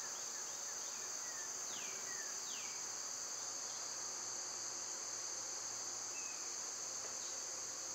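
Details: Summer cicada chorus: a constant, shrill metallic hum that never pauses. A couple of clear descending bird whistles appear early, with a faint short chirp later.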